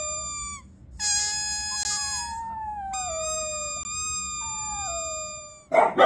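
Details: Dachshund howling in long, tonal, harmonic wails that slide downward, each lasting one to two seconds with short breaks between, ending in a brief noisy burst.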